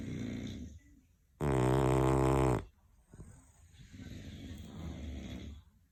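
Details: English Bulldog snoring: one loud, harsh, rasping inhaled snore lasting about a second, between quieter, low breathy exhales.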